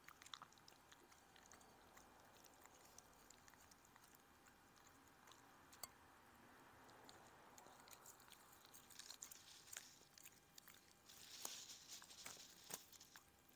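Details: A Chihuahua called Odie munching shredded chicken, veggies, blueberries and raw lamb; soft smacking and crunchy bites that grow denser and louder toward the end, with occasional sharp clicks.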